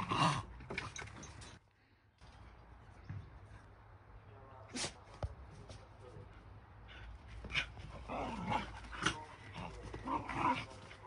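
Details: Shiba Inu and a mixed-breed dog play-fighting: short harsh vocal bursts at the start, a quiet gap, then more scattered growly yelps and scuffling toward the end, with thuds and rustling throughout.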